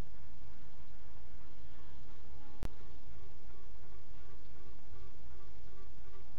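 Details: Western honey bee queens pipe from inside a hive at midnight on 27 June 2016, with faint tooting and quacking notes over a dense colony hum.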